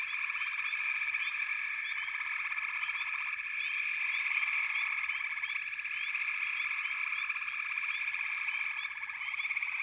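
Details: A massed frog chorus of constant rapid pulsing, dotted with brief rising chirps. The chorus grows a little louder near the middle before easing off toward the end.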